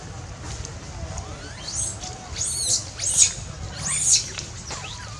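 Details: Wild baby monkey screaming loudly, calling its mother for help while in danger: a run of shrill, high-pitched arching squeals, about five bursts roughly every second, rising then falling, over a low steady background rumble.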